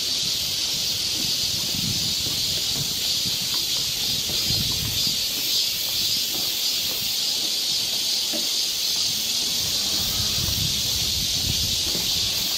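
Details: Summer forest trail in Seoul, Korea, filled with a steady shrill cicada chorus, a continuous high buzz, while soft low thumps and rustles come and go underneath.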